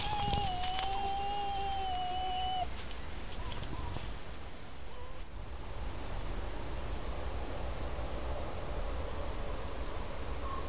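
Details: Red fox, one of two wild foxes interacting near their dens in the countryside of Corte Franca, captured by a camera trap; a drawn-out, steady, slightly falling tonal whine with clear overtones lasts about 2.5 seconds, followed by faint short notes over constant hiss.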